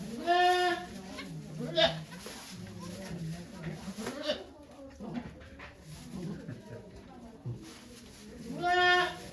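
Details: At Yoshigake farm in Japan on 3 May 2023, during the goat Okayu's birth of two kids, watched by many volunteers: a loud harmonic bleat opens and another closes the stretch, with people talking quietly in between.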